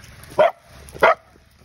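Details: A Vizsla puppy trying to find new friends gives two short, sharp, yappy barks about half a second apart, then falls quiet.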